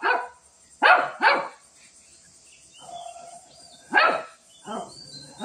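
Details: Barking from a Shih Tzu in a fight with a cat: a few sharp barks in quick pairs, then a lull with a woman speaking softly, then more single barks.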